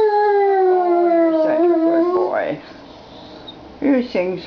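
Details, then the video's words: ['Rocky, a German Shepherd, singing with piano: a sustained howl slowly descending in pitch, followed by softer broken whimpering notes and a short yelp near the end.'] "Rocky the German Shepherd sings!"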